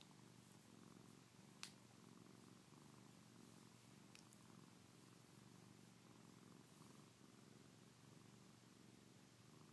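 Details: Domestic cat purring steadily while being petted, wanting more petting; a continuous low rumbling drone runs through the whole stretch, with a couple of faint brief clicks.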